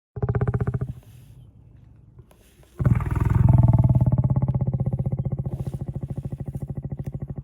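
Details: Lion roaring: a short deep burst, a pause, then a long loud pulsing roar with a rapid throbbing rhythm, low and rough throughout.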